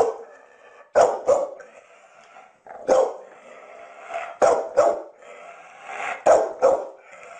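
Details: Pet dog barking, mostly in quick pairs of sharp, loud barks spaced a second or two apart, over a steady background hiss.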